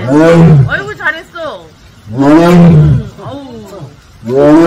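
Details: At Seoul Grand Park in South Korea, a Siberian tiger from Penza's family gives three short, deep, moaning 'aung' calls, each under a second long, with quiet gaps between them and faint voices in the background.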